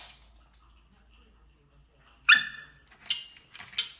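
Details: Dachshund, a sausage dog, at mealtime indoors: a quiet stretch, then one sharp, bright yelping bark, followed by two shorter, sharp high bursts close together near the end.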